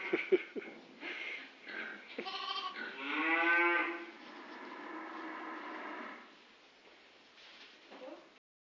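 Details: Grey Face Dartmoor ewes with their new-born lambs, under two weeks old, on a farm: a few short calls, then one loud, wavering, strongly harmonic bleat lasting over a second, followed by quieter drawn-out bleating that fades away.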